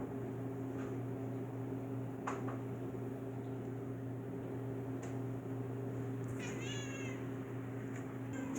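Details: Female domestic cat making odd noises at the sight of another animal: one brief, chirping burst of stacked, slightly falling tones just after six seconds, a few faint clicks, and a steady low electrical hum throughout.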